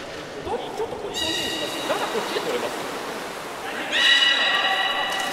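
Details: Belugas held at Port of Nagoya Public Aquarium, Japan, 11 August 2018, while staff tried to swap Nana and Hodoi between pools. Muffled chatter gives way to two bright, buzzy, multi-layered squeals, the second louder.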